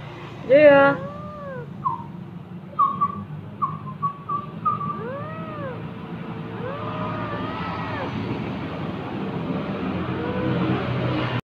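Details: A rescued cat, abandoned by its owner and suffering from scabies, gives a loud opening meow and then a string of short, arched, mid-pitched mews. Quieter calls fade out over steady background hum.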